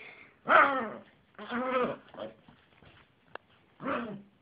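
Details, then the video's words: Yorkshire terrier with a funny bark: three rough, harmonic barks, the first loud and short, the second longer and drawn out with a brief tail, then a final bark after a quiet pause with a faint click. "Jessy (Yorkie terrier) the funny bark dog - vicces ugatós kutya"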